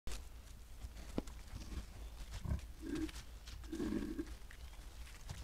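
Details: Wild boars at nine in the morning, caught by a camera trap while bathing: two low, muffled grunts sound about a second apart under steady hiss and rumbling low background noise.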